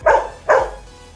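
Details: A Golden Retriever in 'speak' (bark on command) training gives two quick, full-throated barks, about half a second apart, on a spoken command.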